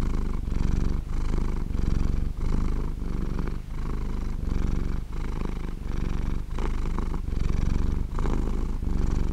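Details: A cat purrs while asleep, a deep vibrating drone broken into even breath cycles, with short gaps marking each switch between inhaling and exhaling; nothing else audible.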